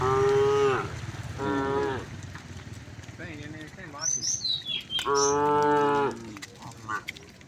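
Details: A herd of cows returning home through village streets on a bright morning moo in loud, drawn-out, fairly high calls, several in quick succession.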